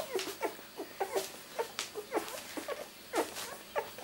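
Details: Indoors, two-week-old miniature Labradoodle puppies of Rosie's litter, born 31 July 2009, give brief high squeaks about once a second, some doubled, with soft shuffling noises between them.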